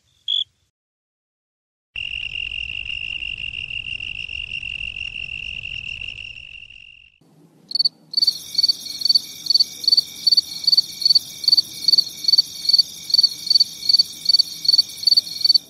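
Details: Cricket song: a sustained high, buzzing trill fading away over several seconds, then a harsher, brighter pulsing buzz at higher pitch that repeats rapidly and steadily, with a soft background hiss.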